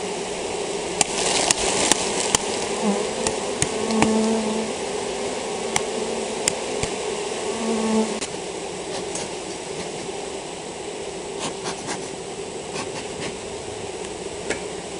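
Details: Continuous hum of a honey bee colony with European foulbrood, a dense steady drone with occasional louder buzz tones from individual bees flying close, plus intermittent sharp taps and clicks.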